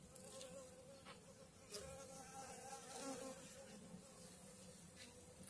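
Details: Honey bee swarm in May 2022, settled on two frames, one of food and one of brood with a queen; steady low droning hum with layered buzzing tones, occasional brief clicks and knocks.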